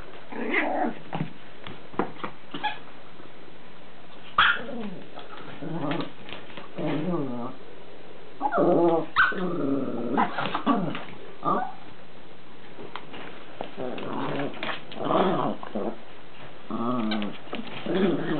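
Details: Lacey, a Chihuahua puppy at play with her toys, makes a long run of whiny, wavering growls and squeaky yelps, rising and falling in short uneven bursts, with soft indoor noise between.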